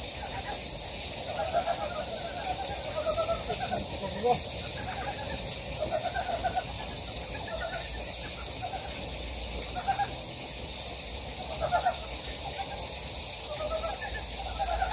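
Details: Wild frogs calling in a valley on Gyejoksan, Daedeok-gu, Daejeon, South Korea: several overlapping mid-pitched, pulsed croaks in loose rising runs, louder bursts near four and twelve seconds, over a steady rushing hiss of stream water.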